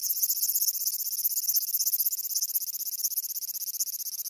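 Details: A large brown cicada (aburazemi) sings on 14 July 2011, a harsh, sizzling drone, high and unbroken, like oil frying in a pan.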